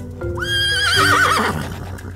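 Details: Horse whinnying, played for toddlers after a blue horse picture-book page: a rising cry breaking into a long shaky, quavering neigh that falls away, over background music.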